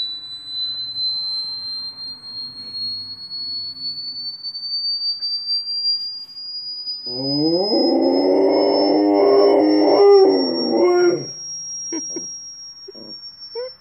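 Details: A Rottweiler howls in reaction to sounds from a TV, a wavering, drawn-out howl over a steady, slowly rising electronic tone.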